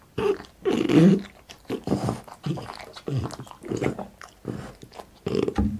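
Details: French Bulldog named Boss eats for an ASMR mukbang: loud smacking chews and low throaty grunts come in clustered bursts, separated by short pauses, inside a small room.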